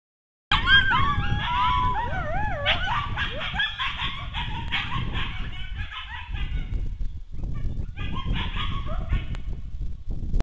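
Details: A group of coyotes about 200 yards from a house sings high, quavering howls that bend over one another, then dissolve into rapid yips and short barks, over a low steady rumble.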